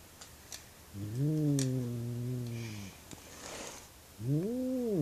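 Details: Indoor cat freaking out after seeing something outside, calling loudly enough to wake the house: a long drawn, low moaning howl of about two seconds, a pause, then another rising-falling wail, with faint background clicks.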